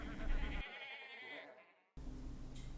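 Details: A sheep gives a trembling, vibrato bleat that fades away, then cuts to silence before a different noisy sound begins.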